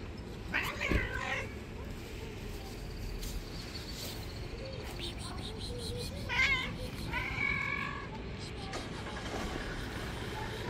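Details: White street cat, described as an angry bully of other street cats, gives several short wavering meows spread across the recording, over constant hiss and low traffic-like rumble.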